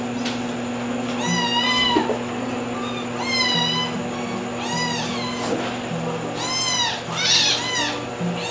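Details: Young white domestic cat, a kitten born in early 2022, meowing at home; about five high, wavering meows that rise then fall, spaced one to two seconds apart, over steady background music.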